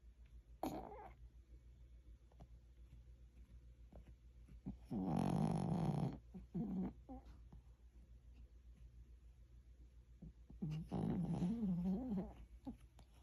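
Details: Pomeranian dog asleep and snoring: two low, raspy snores about six seconds apart, each lasting one to two seconds, with shorter soft snuffling breaths between them in a quiet room.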